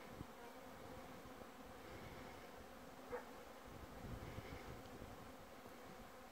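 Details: Bees humming at 13:00 on 24 December 2017, 10°C with a light breeze; a soft, steady, diffuse low drone runs throughout, with a brief click near the start and a short faint chirp about halfway.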